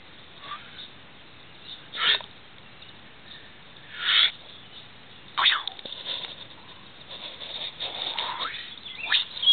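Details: Puppy, a new family member, giving short high-pitched yelping whimpers in separate bursts about every one to two seconds, some with a thin whistled tail, over a quiet background.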